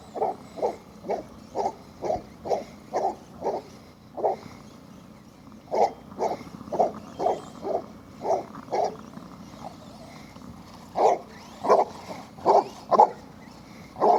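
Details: Cletus, a Basset Hound, baying while chasing his RC truck during daily exercise at home: a long series of short, deep, mid-pitched barks, about two per second, with pauses between bursts.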